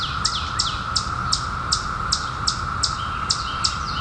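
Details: Emerging in 2021 after 17 years, periodical cicadas drone in a constant, level hum, overlaid by crisp high bird chirps that drop in pitch, spaced roughly every 0.4 seconds.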